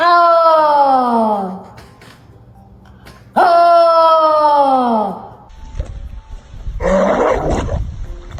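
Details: Pet dog howling in a home after being asked to say a woo: two long, loud, rich harmonic howls that start high and slide downward, then a rougher, broken vocal sound, with music in the background and a person talking.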